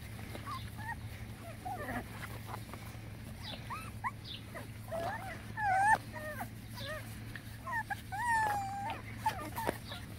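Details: Boston Terrier puppies whimpering, a litter of five: thin high squeaky whines rising and falling, several short cries overlapping, with a steady low hum throughout.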